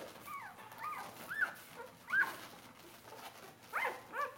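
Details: Newborn Bernese Mountain Dog pups, four days old, jostling at their mother's teats; short rising-falling squeals come in spaced bursts about every second, separated by quiet rustling.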